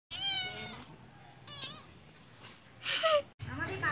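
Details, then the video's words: Cat during a cat fight: a long wavering meow, a shorter rising meow, then a sharp, loud, falling cry, with a brief voice at the end. "Cat Fight"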